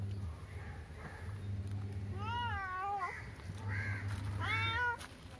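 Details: Domestic cat called a jail-breaking genius, meowing three times in the second half: drawn-out, wavering, harmonic-rich cries with slight rises and falls, over a steady low hum and faint background noise.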